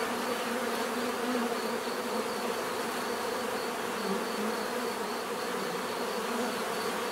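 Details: Bees give a steady natural buzzing, a dense droning hum of many wingbeats layered in bands with no break, recorded as a relaxing bee therapy soundscape with no other clear sounds.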